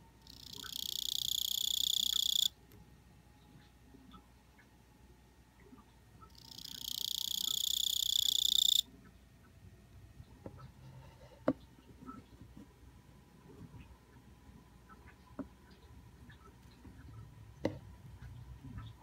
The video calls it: クチキコオロギ鳴き声